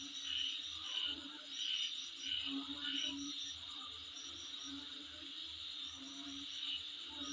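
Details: Insect sound outside a home, a continuous high-pitched ringing drone overlaid with short bright chirps about once a second, with a deep rhythmic thumping pulse beneath and a faint mid-pitched hum.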